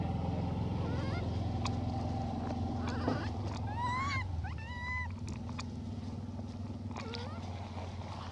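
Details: Begging for food, the female hybrid monkey Elpida gives short bursts of bright, harmonic coos around the middle of the clip, with fainter calls later. A constant low rumble and scattered clicks fill the background.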